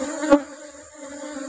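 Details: A honey bee colony being opened for harvest while rubber trees flower gives a steady low drone with a higher overtone, one sharp knock early on, and a quieter stretch in the middle.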